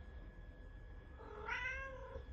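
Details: Pet cat named Charlie Chaplin answering its owner's talk with one drawn-out meow. The meow rises then falls over about a second, with rich harmonics, against a steady low room hum.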